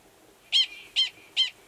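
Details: In Valles Caldera National Preserve, New Mexico, in March 2017, a male Gunnison's prairie dog gives three sharp, high chirping barks as a mating call to an estrous female in a nearby burrow; mating calls sound identical to alarm calls.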